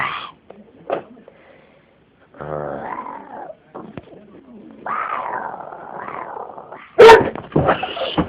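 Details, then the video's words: Pet dog indoors reacting to a person's strange vocal noises. Low growly and whiny sounds mix with drawn-out human noises, then a sharp loud bark near the end followed by further short barks. "I can make a dog bark with my weird ass noises."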